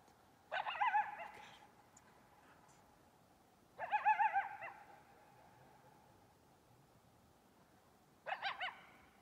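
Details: Coyote yipping at Cascade Village: three bursts of high, wavering yips and whines with harmonic stacks, each lasting about a second, separated by quiet gaps of roughly three and four seconds.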